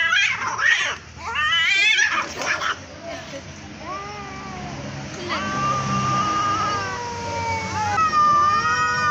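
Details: Cats in a street fight: rough, noisy screeches at first, then a run of clear, drawn-out meowing wails that rise and fall, several overlapping near the end.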